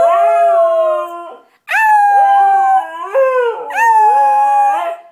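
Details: Three strong howled phrases from a white Siberian Husky singing loudly, each a clear tonal note sliding slightly downward, split by a short silence after the first and a quick pitch drop within the second.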